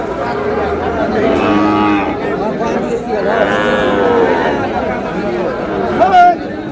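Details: Sahiwal bull calves at a cattle market, bought by a Satkhira farmer on 10 May: deep, drawn-out moos with rich harmonics, two long calls around the middle seconds, over a busy backdrop of human chatter and crowd noise.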